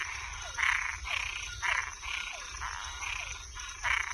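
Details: Toads and tree frogs calling at night: harsh, buzzy rasping bursts, each about half a second long, repeat steadily. Short downward-sliding chirps run between them, and a thin, high, constant insect-like drone sits behind.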